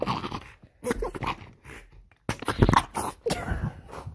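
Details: An angry French Bulldog grumbles in short, rough bursts of snorting growls broken by brief pauses.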